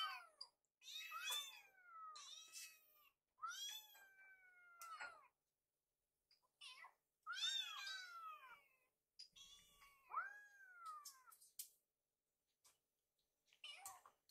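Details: Hungry rescued kittens gather in a kitchen while food is prepared, crying with many overlapping high harmonic meows, some rising then falling, in bursts with short silent gaps.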